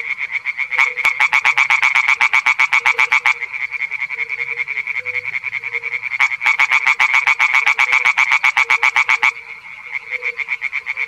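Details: A male European tree frog (Hyla arborea) sings in a small pond, giving loud, rapid bursts of harsh, clicking croaks.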